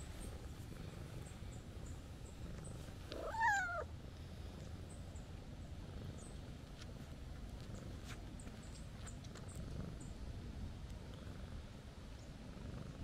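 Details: Stray calico cat greeting a person with a happy-sounding call: one clear meow that bends downward partway through, set against a steady low outdoor hum with a few light taps.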